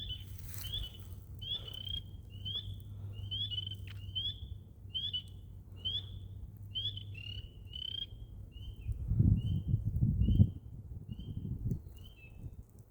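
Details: Swamp frogs give clear, short chirped notes, repeated roughly every second and slowing toward the end, with a low steady hum underneath and a burst of rough, low rustling and thumping partway through.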